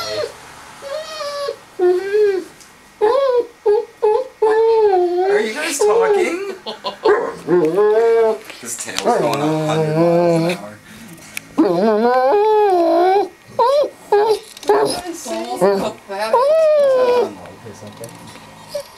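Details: Harley, a pet dog indoors visiting a cat named Puddles, trying to coax her into playing; drawn-out wavering whines and moaning 'talking' sounds in repeated bursts, rising and falling in pitch, separated by short silences.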